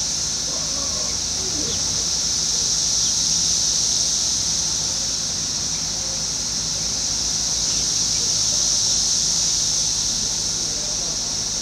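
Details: Relentless high droning song of Brood X 17-year periodical cicadas, emerging in 2021 in a Fairfield, Ohio residential area next to woods, gently rising and falling in loudness over several seconds, faint background sounds below.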